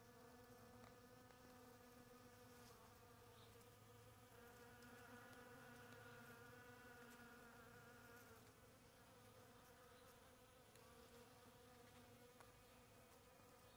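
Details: Bees at blooming palm tree flowers, a steady low droning buzz with layered humming tones holding throughout, many insects overlapping, with faint scattered clicks in the background.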